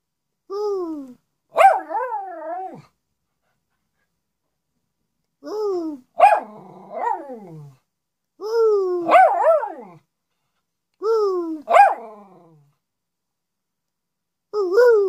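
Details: Miniature Schnauzer indoors, howling and barking for attention as if talking: a series of harmonic, wavering howls with sliding pitch, each followed by sharp barks, in bursts about every three seconds separated by silence.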